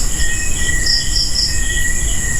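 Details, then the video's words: Night chorus of crickets (kuliglig) filling a cemetery: sustained shrill ringing tones at several pitches, with a few quick pulsed bursts near the top, over steady low background rumble. "Kuliglig lang yung maririnig nyo dito, guys."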